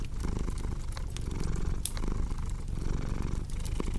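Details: Domestic cat purring in a steady low rumble that swells and eases with each breath, roughly once a second, over sharp crackles and pops of a fireplace.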